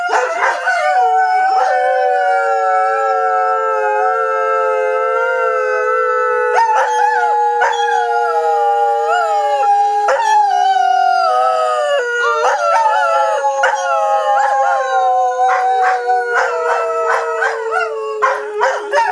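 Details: Howling greyhound: continuous layered howls in which several voices seem to overlap, long sliding tones slowly falling in pitch over nearly twenty seconds, with occasional sharp taps.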